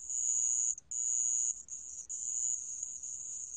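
A sand cricket gives a high, steady, ringing trill broken by a few short pauses.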